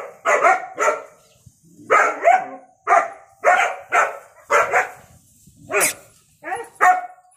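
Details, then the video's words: {'caption': 'Angry German Shepherd puppy barking in quick pairs and singles, sharp yappy barks with a few squeaky yelping tones near the end, roughly twelve barks spaced irregularly.'} "My German Shepherd puppy in angry"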